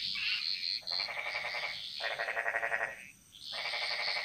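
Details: Frogs chorusing in the jungle of Bali, Indonesia: loud rattling, rapidly pulsed croaks of about a second each alternate with high sustained notes, a brief lull before the chorus swells again.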